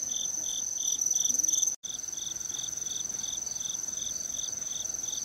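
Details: Autumn insects sing together in the countryside on 17 September 2018: a steady, high ringing trill over evenly spaced, lower chirping pulses; cicadas were still calling near tall trees.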